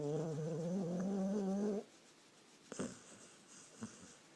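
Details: Sleeping dog snoring: one drawn-out, low, tonal breath with a slightly wavering pitch lasting nearly two seconds, then quiet with a few small rustles and clicks.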